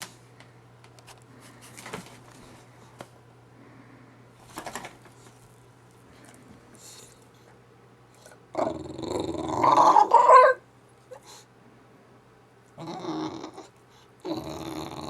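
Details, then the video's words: English bulldog making crazy Wookiee-like noises indoors: after quiet snuffles, a loud rough growling, grumbling burst of about two seconds, then two shorter gravelly grumbles near the end. "English Bulldog Making Wookie Noises"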